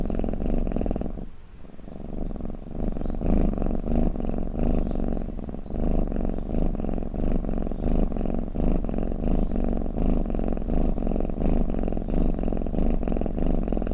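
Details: Rumbling cat snore or purr, low and pulsing. It fades briefly near the second mark, then resumes as a steady throbbing drone until the end.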